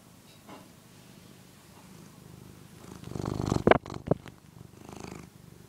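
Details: Phillip, a one-year-old pet cat, purrs while nursing on the soft fabric of a housecoat indoors; a low steady rumble builds toward the middle, broken by a few sharp rustling clicks near the end.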